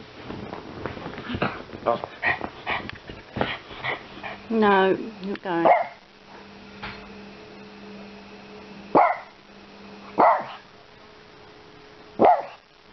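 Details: A Yorkshire Terrier helping with the shopping, with a human voice talking over the first half and a run of quick yelps; then come three separate sharp barks spaced about a second apart over a low steady hum.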